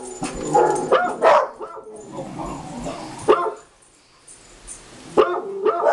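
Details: Three pet dogs at home, a young black-and-white dog, a female beagle and an older stout dog, react to a recording of dogs barking; loud harmonic barks and yelps in bursts, a quiet gap, then renewed barking.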